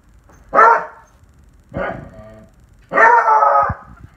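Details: A 1-year-old beagle gives three short, tuneful howling cries, each a rough, ringing note.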